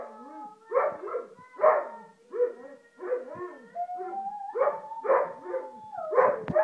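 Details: A singing Weimaraner, a run of wavering, harmonic howls and yowls in short bursts roughly every half second, one long steady note rising slightly midway, ending in a louder yelp.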